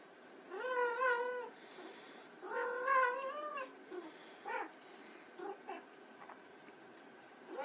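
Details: White Persian kittens at play: two long, drawn-out meows with a rich harmonic stack and a slightly wavering pitch, then several short, clipped mews. Faint background rustling.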